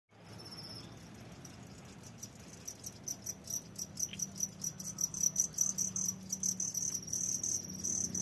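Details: Farmed crickets kept in a box, some currently laying eggs, chirp in high-pitched, trilling, rapidly pulsed chirps overlapping into a steady chorus that grows louder and denser, with a faint low hum underneath.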